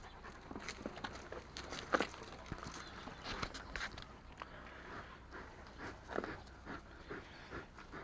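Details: Tornjak, the Bosnian-Croatian sheep dog and livestock guardian breed, panting while being cuddled; breathy, irregular puffs come roughly every half second to second, with a few louder bursts among softer rustling breaths.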